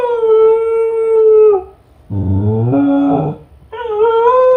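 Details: Lonely Kai Ken Ichi howling during a fifty-minute stay home alone: a steady, wolf-like tonal howl dropping at its end, a gruff, throaty wail, then another clear rising-and-falling howl.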